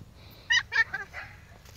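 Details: Five-week-old Pomsky puppies playing with a five-week-old Husky puppy; two short, bright harmonic yelps in quick succession, followed by softer whiny yips trailing off, over a quiet low rumbling background.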